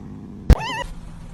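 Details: Domestic cat from a funny cat compilation giving a single short meow, rising then falling, right after a sharp thump, over a low steady background hum.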